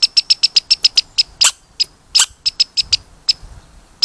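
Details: Red squirrel pouring out a quick run of high squeaks, then slower, uneven squeaks mixed with several loud, rasping chirps; faint low rustling underneath.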